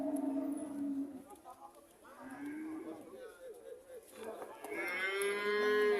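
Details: Cows lowing: a steady moo, then a rising, bending call, then quieter murmuring, ending in a strong, bright, drawn-out moo.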